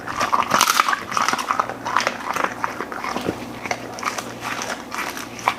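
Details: Golden Retriever crunching and chewing through a mixed meal of beef lung, chicken, steak, duck heads and flying fish in a small room, bites coming in quick bursts with short pauses, over a low hum.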